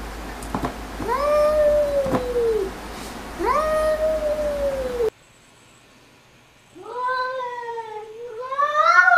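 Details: Pet cats talking to each other with long, level meowing cries that fall away at the end, two calls followed by a short pause and then two more rising, bending cries. Sharp clicks are heard early on.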